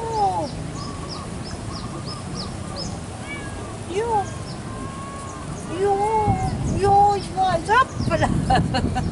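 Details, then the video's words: Male domestic cat living in a warm Asian home, its calls dubbed roaring: short rising-then-falling meows and longer wavering cries, mixed with human talk and a low household hum. "Roaring Mini "Black Panther""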